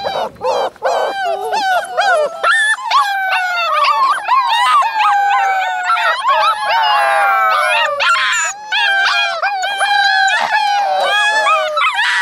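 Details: A litter of eight Alaskan Malamute puppies, Minnie's February 2013 pups, in a sustained group howl. Long gliding tones rise and fall in steady overlapping layers, with sharper yips near the start.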